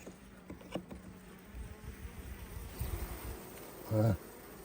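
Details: Honey bees at a hive opened so the beekeeper can take honey frames: a low, steady buzzing hum with scattered clicks and knocks of handling, and a brief human voice near the end.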